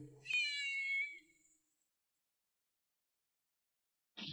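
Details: Cat around the birth of kittens, kept in a yard with stray cats; a single thin, high mew lasting about a second, slightly falling in pitch, followed by silence and a short rustle at the end.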